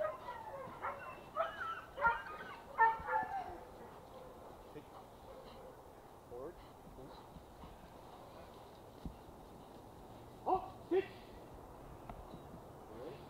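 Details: German Shepherd, described as obedient and protective, barking during protection work: a cluster of sharp, loud barks in the first three seconds, then quieter isolated barks, with a man's voice praising and giving commands throughout.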